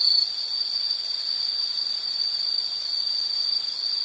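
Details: Insect giving a continuous, shrill, high-pitched trill that holds one steady pitch throughout, with no other clear sounds.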